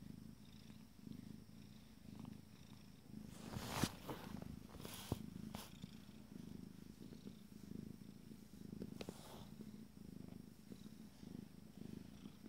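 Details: Fourteen-day-old Abyssinian kittens from a first litter purr in a continuous low, throbbing rumble that pulses several times a second, with brief rustles and clicks of movement near the middle.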